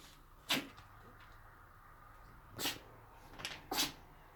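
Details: Chihuahuas Jessie and Eva sneezing during play: three or four short, sharp, hissy bursts spaced over a few seconds, with quiet room noise between them.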